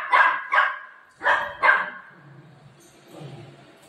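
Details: Buzo, a pet dog angry with its owner mummy, gives four sharp barks in two quick pairs about half a second apart, then falls quiet with only a faint low murmur.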